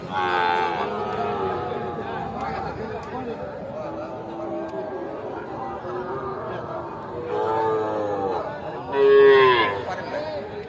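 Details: Sahiwal bull calves at the Aftabganj cattle market, Nawabganj, Dinajpur, Bangladesh, on 8 October 2024. Three separate moos come at the start, near the middle-end and at the close. The last is the loudest and rises then falls. Market chatter runs throughout.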